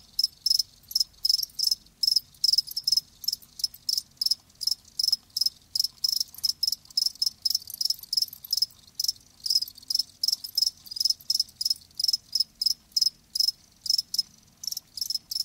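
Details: Live crickets chirping steadily: shrill, high trills repeated roughly twice a second in an even, regular rhythm, overlapping callers, low faint hum beneath.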